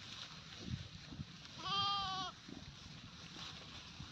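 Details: Goat giving a single steady, nasal bleat of about two-thirds of a second, rich in even harmonics, set against a low background hiss and faint rustling.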